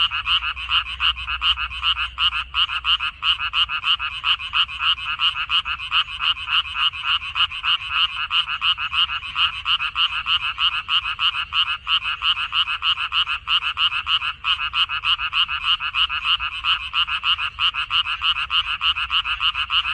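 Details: Frogs calling from a water dropwort (minari) field on 14 May 2021: a dense, unbroken chorus of many overlapping rapid rasping croaks, pulsing quickly and steadily throughout with no gaps and no other sounds.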